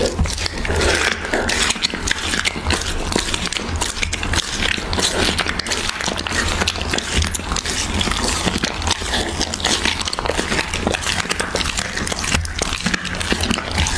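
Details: Siberian Husky eating raw beef, with dense, continuous wet chewing and crunching and a rapid run of sharp clicks and tearing noises for the full length, over a steady low hum.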